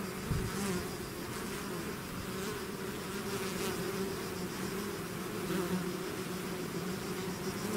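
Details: Bees swarming out of their hive make an unbroken droning buzz, many overlapping wingbeats forming a low, rich hum with brief brighter passes of individual bees flying near.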